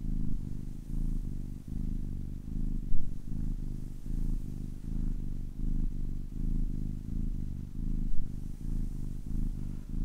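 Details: Long stretch of contented purring by a 10-week-old kitten, a low throbbing rumble repeating with each breath for ten seconds, a couple of small bumps audible.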